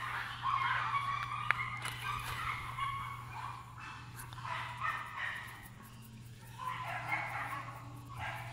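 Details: Chihuahua puppies, males and females born in July 2018, waiting for new owners; high-pitched yips and whimpering come in irregular clustered bursts, with a steady low electrical hum underneath throughout.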